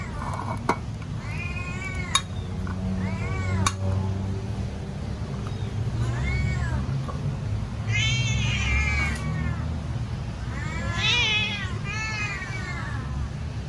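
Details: Domestic cat waiting to be fed, giving a string of about six loud meows, some short and arched, others longer and wavering, with faint clicks and low household rumble.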